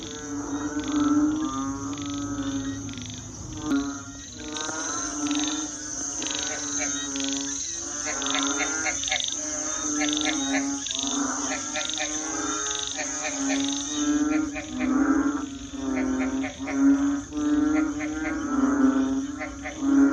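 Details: A dense chorus of frogs calling in a village around 11 pm at night, with rapid croaks and rattling pulses overlapping continuously, toads, crickets and barking dogs also in the area; finding: Frog.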